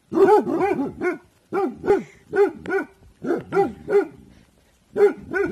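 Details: Bhotia dog named Dabu Goli on alert, guarding in the evening; a fearless guard breed most active at night. Rapid loud barks in bursts of three to five, with short pauses between runs.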